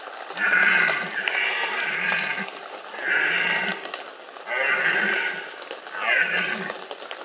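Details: Rutting red deer in the Bieszczady mountains of Poland, 2015: four deep, rasping bellows, the first long and broken in two, the others shorter, evenly spaced over several seconds.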